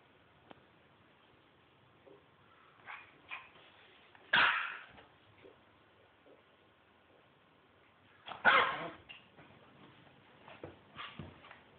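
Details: Teddy, a male Lhasa Apso puppy from a litter of seven, playing peek-a-boo in a duvet, gives two sharp barks several seconds apart, with softer yips and snuffles between.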